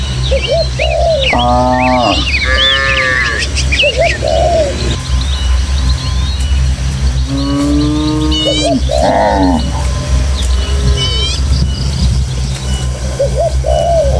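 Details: Village cattle in a tame herd heading to the pen across rural hills give two or three mid-pitched, bleating moos, each under a second, with busy bird chirps and a constant low rumble behind.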